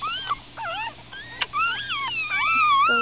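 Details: Four-day-old Miniature Schnauzer puppies, upset and squirming, cry in a litter: thin high squeals that rise and fall in arched whines, several overlapping, with short sharp yelps between and one long wavering whine building at the end.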